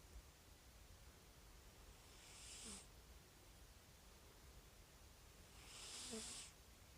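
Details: Snoring rescued calico cat, with two breathy rasping breaths about three and a half seconds apart, each ending in a faint low whistling tone, over quiet room hum.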